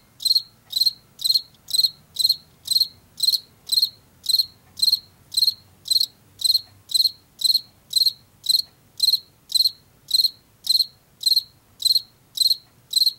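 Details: Steady run of about two dozen sharp, high chirps from a Washington field cricket, spaced about half a second apart, typical of late summer and fall in fields and forest edges; faint low rumble behind.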